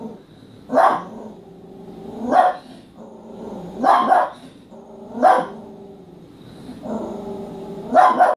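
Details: A female dachshund, growling at a calendar on a kitchen wall apparently taking a pictured dog for real, growls low and steadily, breaking into short gruff barks about every one and a half seconds.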